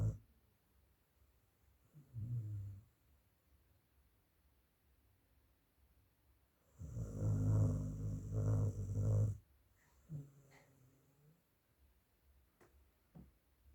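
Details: Dog snoring very loudly: deep, rattling, low rumbles in three bursts, a short one, a long drawn-out snore of about two seconds, then a shorter one, with quiet breathing between.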